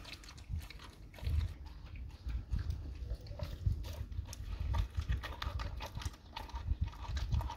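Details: Dog eating raw cow tongue: dense, wet chewing with deep, irregular thumping bites and smacks packed closely together for the whole stretch, crunching clicks scattered over them.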